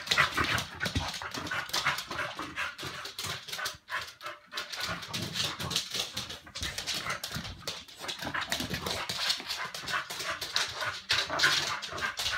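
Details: A Chow Chow in a bout of "midnight madness" gives a rapid, irregular stream of whiny whimpers and yelps.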